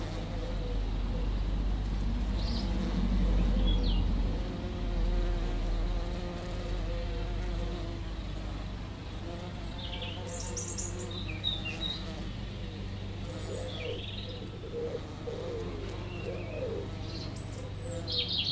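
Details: Two bees visiting a lavender bush, wing buzz heard as a steady, wavering drone with a deep low rumble underneath; scattered short bird chirps high above.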